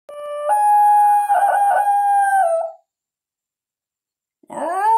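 A Basenji gives a long, tonal yodel that holds steady, wavers, then drops, before starting again.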